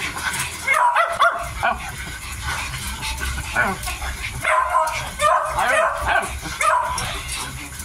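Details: A 55-day-old Miniature Dachshund puppy, eating, lets out clusters of short, high, squeaky whines that rise and fall in pitch, with gaps and background noise between them.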